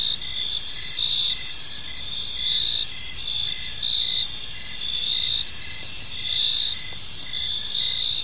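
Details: Crickets chirping in a park on a peaceful evening: a steady, high shimmering chorus of rapid pulsed trills that swell and fade roughly twice a second, over a faint low rumble of background noise.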